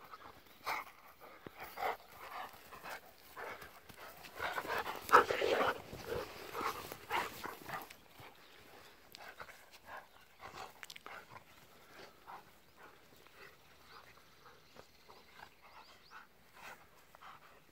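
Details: Two aging Golden Retrievers, nine-year-old Kohaku and eight-year-old Ibuki, play rough on a morning walk over tilled soft soil on 19 November 2018. Fast breathy panting repeats steadily. A louder scuffle comes near the fifth second, then the panting eases and grows quieter.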